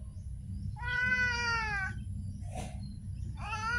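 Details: A street cat gives a long, drawn-out meow lasting over a second with a slight falling tone, a short click-like noise, then the start of another meow; steady low hum underneath.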